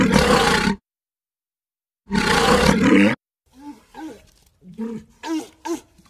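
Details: Walrus giving two loud, harsh, broadband roars about a second long, separated by silence, followed by a string of shorter, lower, groaning calls that bend up and down in pitch.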